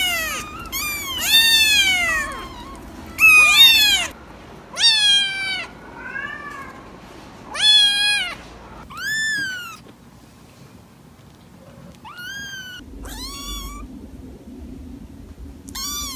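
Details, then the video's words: Kittens meowing in a rapid series of high, arching meows, each with a downward-curving tail, about ten cries in quick succession with short quiet gaps and a low background hum. "Cats Meowing – Kittens Meowing Video – Cute Kitten Meowing Videos – Funny Cat Meows"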